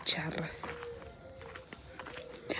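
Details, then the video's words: A chorus of cicadas ("chicharras") in rural Guerrero, Mexico, gives a steady, shrill, high-pitched drone, with a woman's voice briefly at the start remarking that it sounds strange. "Así. Se oye raro, pero así son las chicharras."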